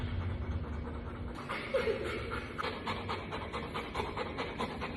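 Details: Female Golden Retriever panting. Rapid, breathy huffs start after a brief muffled rustle, then become a steady, rhythmic series of airy bursts.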